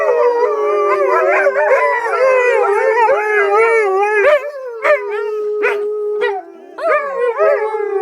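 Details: Group howl from rescued wolves with some dog ancestry at the Shadowland Foundation, February 2013; a sustained low howl holds under rising, bending voices, broken near the end by short sharp yips and a brief pause.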